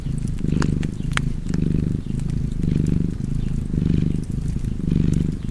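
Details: A cozy cat's low purr, rhythmic rumbling bursts rising and falling roughly every second, with a few bright crackles from a fireplace.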